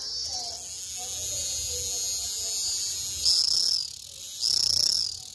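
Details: Cicada (Cicadoidea), whose song is produced by males during the warm season: a hissing high buzz in the background, interrupted by two short, louder, sharper buzzing bursts near the end.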